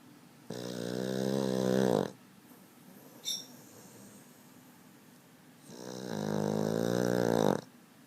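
A Boston Terrier snores in long, rasping, buzzy breaths, each lasting over a second.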